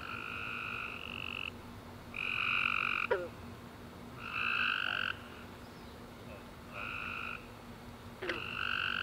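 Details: Tree frogs singing at night after warm summer rain: separated chirping bursts with stacked harmonics, some louder and closer, interrupted by occasional sharp clicks, with a quiet background drone.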